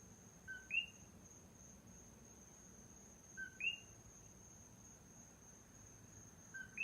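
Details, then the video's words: One coqui frog at night, Big Island of Hawaii, giving three two-part calls about three seconds apart, a soft low 'co' then a bright upward-sliding 'qui', with a continuous thin high drone behind. "Coqui Frogs at night on the Big Island of Hawaii (the sound of just one of them)"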